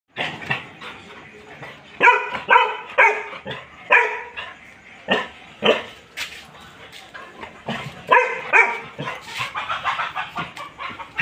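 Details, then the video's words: Labrador Retriever barking in a series of sharp, loud barks, some close together and some spaced about a second apart, with brief pauses and a quieter stretch near the end. "Labrador dog"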